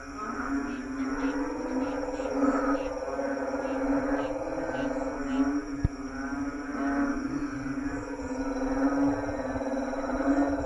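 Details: Night-time lawn full of calling frogs: a continuous low buzzing drone of croaks, occasional louder swells, and a single sharp click partway through.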